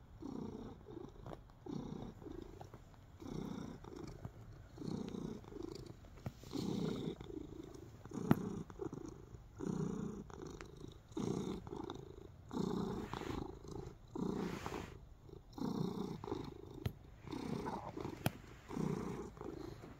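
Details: Happy house cat purring and kneading, heard close up indoors, a continuous low vibrating purr pulsing with each breath about every second and a half, occasional sharp clicks and soft rustling of paws.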